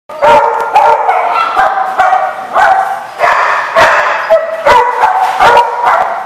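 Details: Several dogs bark in a dense, overlapping chorus, sharp barks and yips following each other with hardly a pause across the whole stretch.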